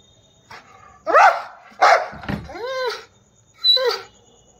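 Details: Aggressive Rottweiler giving a few loud harsh barks mixed with higher, bending whine-like yelps over about four seconds, with a faint steady high tone behind.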